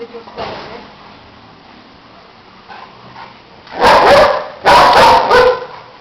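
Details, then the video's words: German Shepherd barking: two bursts of loud, harsh barks midway, preceded by quieter background sounds. "German shepard barking"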